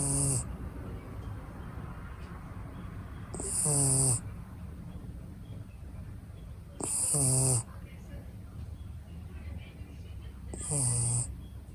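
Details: Four rhythmic snores from a sleeping red female Shiba Inu puppy aged six months, born in Niigata, Japan. Each is a low vibrating rasp with a hissing edge, spaced roughly three and a half seconds apart, with quiet breathing between.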